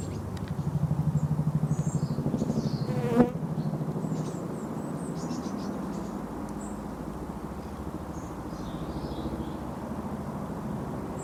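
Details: Female Eristalis pertinax hoverfly, a honey bee mimic, at an everlasting flower: a low, steady droning buzz with a fine pulsing texture, a sharp click near three seconds, then the hum carrying on evenly.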